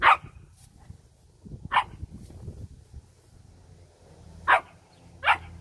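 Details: Lion hound dogs during a training session barking: four sharp, loud single barks, at the start, near two seconds, and a close pair near the end, with faint low rustling and movement between them.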